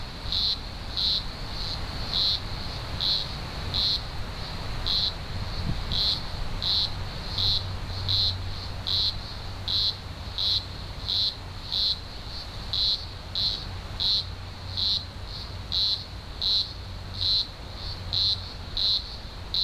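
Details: Green grocer cicadas from a large emergence of thousands in the Blue Mountains, Australia, early October 2020; dense chorus of pulsing high-pitched buzzes, surges repeating about every 0.7 seconds over a steady hiss, low rumble underneath.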